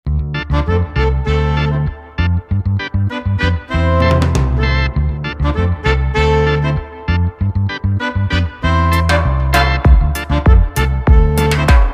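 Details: Upbeat swing-style music with piano, brass and a driving bass line plays throughout, and no animal sound is heard.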